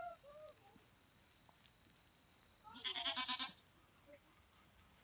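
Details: Goat kept with a herd of pet goats while a girl plays among them: one loud, wavering bleat with a rapid tremolo lasting under a second, following faint high squeaks and quiet rustling background.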